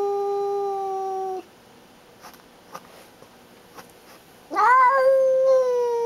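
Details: Female pet cat indoors guarding and showing who is boss: a long, steady, tonal yowl held over a second, a pause with faint clicks, then a second loud yowl that rises sharply and is held.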